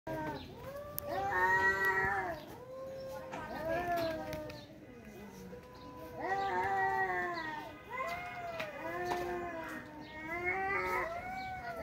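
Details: Two angry tomcats fighting, trading long wavering yowls in rising and falling harmonic bursts, each lasting one to two seconds, with short pauses between and faint human voices in the background.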